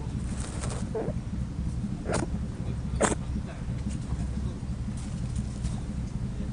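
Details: Sneezing rabbit on Okunoshima (Usagishima), an island of over 900 rabbits in the Seto Inland Sea, Hiroshima Prefecture, Japan: two quick hissing bursts about a second apart, with fainter puffs before, against constant low outdoor rumble.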